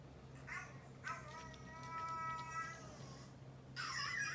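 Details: Domestic cat indoors at home, one of two pet cats (Kinta, a neutered orange tabby male, or Coco, a neutered brown tabby male), reacting to hearing a dog's barking; a long drawn-out harmonic meow that rises slightly and then falls, followed by a brief rustle.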